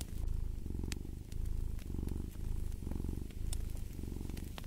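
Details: Domestic cat purring steadily in a low, rumbling drone, swelling and easing in breath cycles about every second, with sharp pops and crackles of a fireplace scattered over it.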